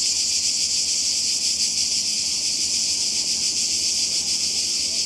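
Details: Summer cicada chorus on the Croatian coast, a continuous shrill hiss-like buzz held at one level from start to finish, slightly throbbing, with nothing else standing out.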